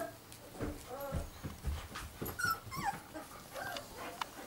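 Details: Giant schnauzer puppies of the blackmoore O litter, short high whining whimpers and a brief rising squeal over low rumbling handling noise, with a human voice speaking softly in the background.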